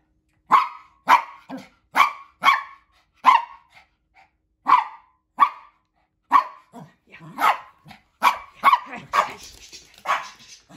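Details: Morning zoomies with Hendo, a male Pomeranian, and Noldus, a male maltipoo, playing energetically together. Sharp, bright barks come in a quick series, about two each second, with short pauses, then a rougher flurry and scuffling noise at the end.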